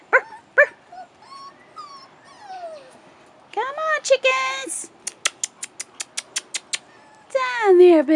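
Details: Rottweiler puppies, 4.5 weeks old, outside for the first time, give high, sliding whines with a falling tail, mixed with a person's coaxing voice and quick bursts of sharp, regular clicking.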